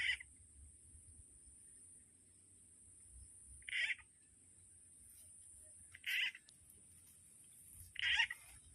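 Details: A frog call played as a fishing lure, said to also attract snakes, gives short, bright, raspy croaks spaced a few seconds apart over a steady high whine.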